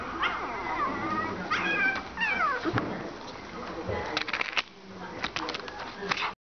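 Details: Shiba Inu puppy at a pet shop in Seto, Japan: several thin, high, sliding whines and yips over the first three seconds, then clatter and clicks, with people talking in the background.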